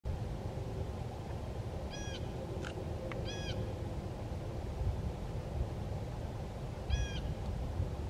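Red fox kits give brief, high, harmonic yelps in short bursts over a steady low rumble.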